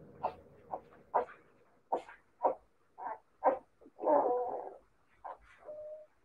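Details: Siberian Husky puppies calling in a quick series of short, mid-pitched yips and squeaks, roughly ten bursts in six seconds, with a longer rough whine near the end and a brief steady whining tone to close.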